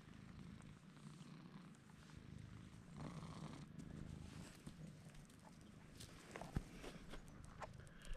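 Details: Bruce, a pet cat, purring while rubbing against a man's legs; a soft, steady low rumble runs throughout, with faint clicks and rustling.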